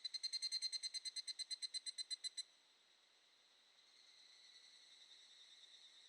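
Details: An evening cicada (Tanna japonensis) gives a rapid series of bright, ringing pulses over a steady chorus of distant cicadas, in the Shin'etsu mountains of Japan in mid-July.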